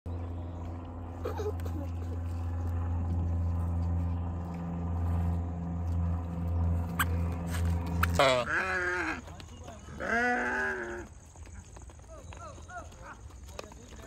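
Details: Goat kids jumping, yelling and playing in a large group of about a hundred. Eight seconds of steady low mechanical hum come first, then two loud, wavering, harmonic bleats, the first one quavering and the second shorter.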